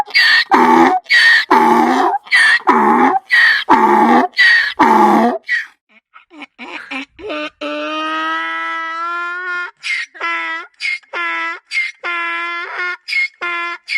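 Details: Braying donkey, angry or afraid: a quick series of harsh, pulsed gasping notes, then a long drawn, smoother tonal honk, followed by rapid choppy repeated hee-haw bursts.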